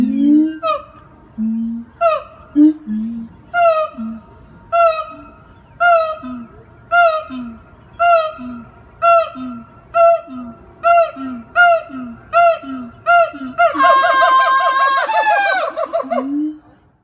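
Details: Zoo siamang in Jacksonville, Florida, performing its loud calls: a steady series of low boom-and-bark pairs roughly every second accelerates, then climaxes in a harsh, sustained, wavering scream that falls away into a final low boom.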